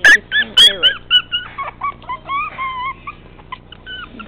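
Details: Tiny 13-ounce male teacup Chihuahua puppy, said to act like a Doberman, whimpers in a quick run of loud, high yelps that trail off into long, bending whines and fainter squeaks.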